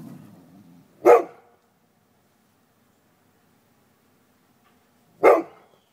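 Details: Neighbour's dogs taunting another dog from across a stockade fence, digging under it to get through; two loud, sharp single barks about four seconds apart, with a low rumbling growl at the start and quiet between.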